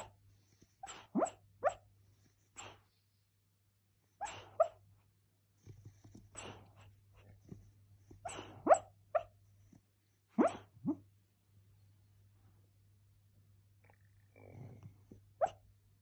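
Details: Cocker spaniel dreaming while asleep, letting out short muffled yips and soft whimpering puffs in irregular bursts, several in quick succession, over a faint low electrical hum.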